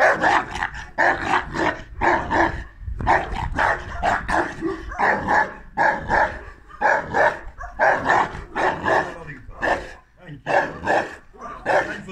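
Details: An 18-month-old female Neapolitan Mastiff in attack mode gives harsh, dense barks and growly bursts, roughly one per second and irregularly spaced, continuing steadily through the whole stretch with little pause.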